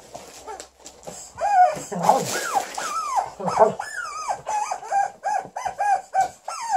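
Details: An Alaskan Malamute, Liza, testing her chicken toy and angry at it, gives a grumbling start, then repeated rising-and-falling woo-woo calls, about two per second, over a faint thin high background tone.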